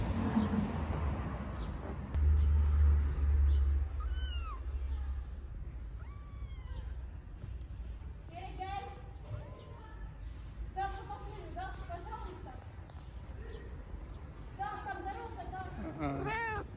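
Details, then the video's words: Tiny homeless street kittens in Istanbul meowing as they do not want their feeder to leave: about ten high, arched meows scattered through the second half, over a steady low rumble and a woman speaking Turkish. "Tiny kittens living on the street don't want me to go"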